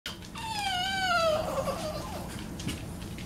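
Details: A female Boston Terrier playing with her toy gives a single drawn-out, nasal whine that slides slowly downward over about a second, rich in overtones, then trails into softer rustling.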